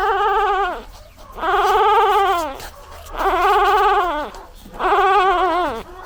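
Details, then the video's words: Newborn puppy crying to call its mother: four drawn-out, wavering wails of about a second each, separated by short pauses. The pitch is held steady and then drops slightly at the end of each cry. "Puppy Crying Sound 😭 Dog Crying Sound Effect"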